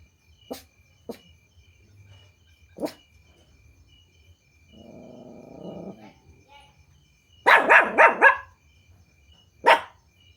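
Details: Puppies barking at strangers after hearing strange noises: a few sharp single barks, a soft whining growl, then a quick burst of four yapping barks and one last bark, over a faint steady insect drone.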